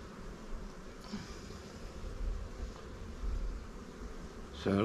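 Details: Buzzing of honey bees around swarm hives in an apiary as a beekeeper works with frames; a low continuous droning hum with slight swells, a faint tap early on and a man's voice starting at the very end.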